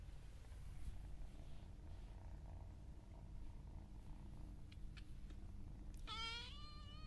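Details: Pet cat purring with a continuous low, throbbing rumble, then a short, rising-falling meow with rich harmonics near the end.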